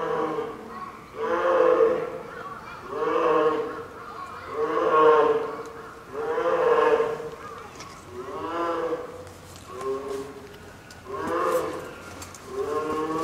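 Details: Nine-month-old female polar bear cub, captive at Maruyama Zoo in Sapporo, Hokkaido, fussing near her mother around 11 a.m. in typhoon wind and rain, apparently hungry: drawn-out moaning wails repeated about every two seconds, harmonic and mid-pitched.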